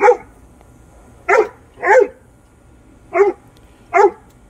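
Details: Great Dane barking while confronting a rat; five loud, sharp barks come in uneven bursts over about four seconds against a quiet background.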